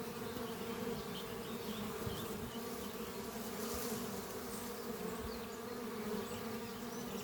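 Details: Honey bee colony flying at its hive under trees on a spring morning, workers returning with pollen; an unbroken deep humming drone, nearly free of other sounds apart from faint far-off bird notes.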